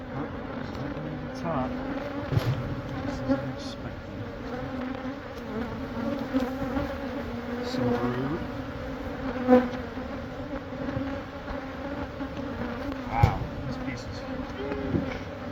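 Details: A mass of honey bees hums steadily as a hive inside the wall of a Catholic church building beside a school in Monrovia is taken out for relocation. There are occasional louder buzzing passes and faint clicks.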